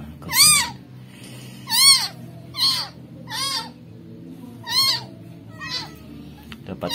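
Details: Rescued kitten, newborn and dumped, found in a rubbish bin with maggots, meowing five times in seven seconds: loud, high arched cries with rich harmonics, each rising then falling, separated by quiet gaps with faint low background hum.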